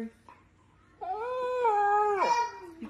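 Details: Pet dog howling indoors: one sustained, tonal howl about a second and a half long, holding steady then slurring downward at the end, between snatches of a person talking and music.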